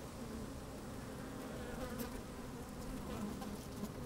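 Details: Working honey bees recorded from a microphone lowered into an opened hive on a sunny day; dense, even humming drone with faint wavering buzz tones throughout four seconds.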